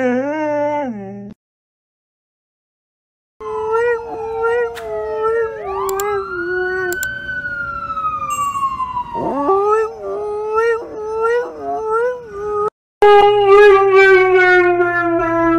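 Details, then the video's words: Siberian Husky howling along with a wailing siren that rises and falls behind it, the dog's voice wavering and breaking, then a strong descending howl near the end after a brief silence. "Hilarious Talking Huskies Compilation | husky talking"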